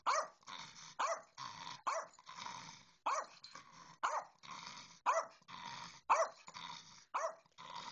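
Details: Small dogs, a Bedlington Terrier ignoring a little Yorkshire terrier: high, sharp yaps roughly once a second, each followed by a brief whining or growling tail, steady repeated pattern throughout.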